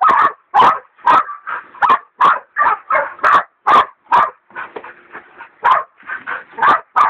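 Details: Hog dogs Dixie and Dollie, a leopard dog still in training, baying a big sow hog; rapid loud barks repeated about two per second, with brief pauses and softer whining yelps between bursts.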